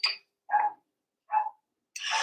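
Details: Four-week-old Cavalier King Charles Spaniel puppies in an indoor puppy pen at Red Barn Cavaliers, while being socialised with adult dogs; two short, matching mid-pitched yelps about a second apart, then a harsher, noisier burst.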